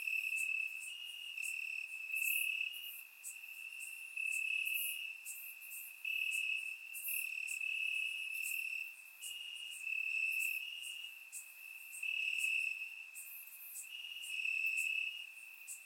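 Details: Night chorus of crickets in Bulgarian grassland on a warm summer evening: an unbroken shrill trill at constant pitch, rising and dropping in loudness in rhythmic surges, other insects buzzing faintly higher up.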